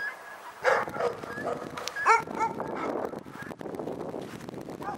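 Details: A few sharp dog barks, the loudest near the start and middle, over a noisy background with murmuring voices.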